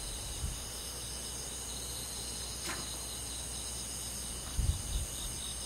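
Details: Summer-night forest insects with crickets in the countryside, a continuous high shimmering trill in stacked bands, unchanging throughout, with a brief sharp click midway and low background rumble.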